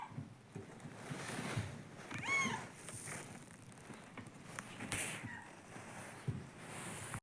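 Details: Female domestic cat, seven years old, giving a single brief, tonal, nasal whine, a 'kyuun' cry, amid low rustling and faint household noise.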